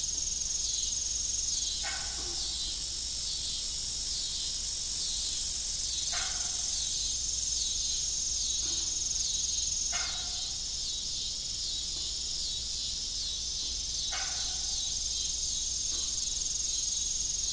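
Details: Evening crickets beside an old farm windmill, a dense high continuous chirping drone with steady pulsing, accompanied by occasional creaks and clanks from the windmill every few seconds.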